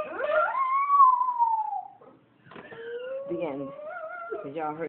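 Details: A Shih Tzu sings along to Ella Fitzgerald's "The Hot Canary", letting out a long, wavering howl that slowly slides downward, with a human voice joining afterward.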